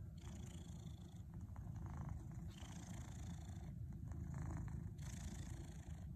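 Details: Domestic cat purring steadily while kneading, making biscuits in a teepee; a continuous low rumbling drone throughout, with soft rustling bursts from the kneading paws rising above it.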